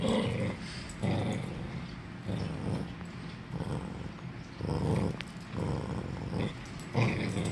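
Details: Tyrion, a pet Norfolk Terrier, growling while playing tug of war: low, rumbling growls in rough surges about once a second, rising and easing, with around seven distinct pulses across the stretch.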